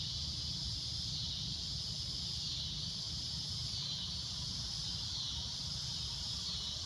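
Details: Cicadas droning at golden sunset, a shrill unbroken high-pitched buzz slowly swelling and fading, with a low steady rumble underneath.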